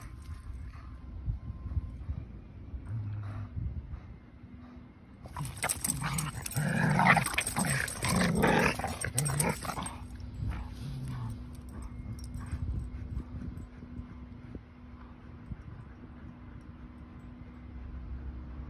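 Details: Two dogs, a Keeshond named Kumo and a Boston Terrier named Sully, play a game of tug in a large yard; a burst of deep, gruff growling swells midway amid scuffling, then fades to quieter rustling.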